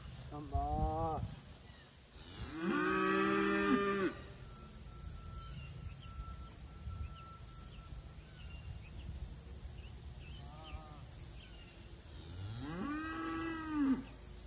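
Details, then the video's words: Grass-fed Dexter cattle on pasture, moved between paddocks in rotational grazing, give several moos: a short call, then a long, loud bellow, a faint distant moo, and a final rising, drawn-out moo, with quiet background hiss. "Dexter Cattle Rotational Grazing"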